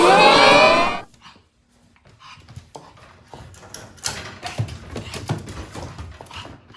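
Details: Japanese Chin puppy, a breed said to bark rarely, gives one loud harmonic-rich yelp or bark lasting about a second indoors in a small room, followed by quiet shuffling, taps and soft handling noises.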